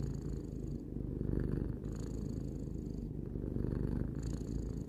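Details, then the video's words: Tarou, a three-year-old domestic cat, purring steadily at close range indoors: a dense low rumble swelling and easing with each breath, about one inhale-exhale cycle per second, faint higher hiss on the inhales. "Cat purring"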